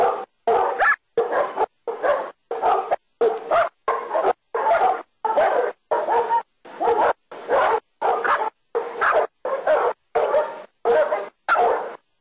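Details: Costa Rican German Shepherd barking during protection work, a long run of rough, forceful barks, roughly one and a half per second, evenly spaced and sustained throughout.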